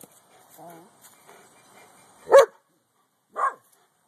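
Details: Boston Terrier dog spying on the neighbours and hating the Corgi next door, filmed on an Android phone: after a quiet human voice, two loud, sharp barks about a second apart.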